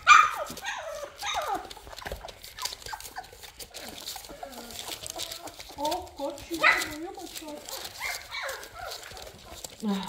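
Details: Several Labrador Retriever puppies during cuddling and toilet training whimper and squeak again and again: short, whiny, wavering yelps, some falling in pitch, run through ten seconds beside rustling and soft human speech.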